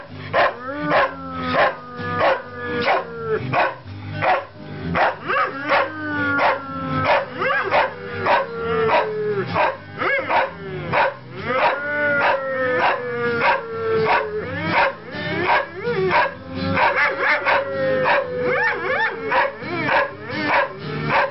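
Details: Male Saluki and a Greyhound singing along to a Bob Dylan song: long, drawn-out howls that slide downward, overlapping each other, above loud recorded music with a steady strummed beat throughout.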